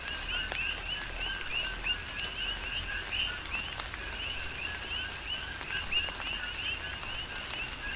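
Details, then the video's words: Coqui frogs calling in a tropical rain shower on the Big Island, Hawaii: a dense chorus of short two-part chirps, a low note sliding into a higher whistled one, overlapping continuously, with raindrop taps and steady rain hiss. "Tropical Rain & Coqui"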